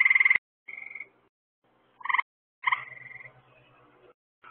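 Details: Night-time frog chorus by lights put out to attract bugs for the frogs: short rattling pulsed bursts and brief steady tones from several callers, with a faint low throbbing pulse underneath.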